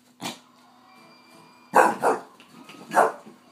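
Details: English bulldog indoors barking at a guitar he did not like, after one short gruff woof three more loud harsh barks in a quick pair and a single, with faint guitar tones lingering between.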